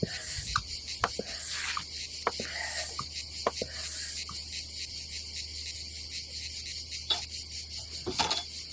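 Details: Cicadas buzz on a summer day at a seaside campsite above the Adriatic Sea in Croatia: a steady high-pitched hiss with loud, surging swells about every second, mixed with sharp clicks and knocks from camp gear.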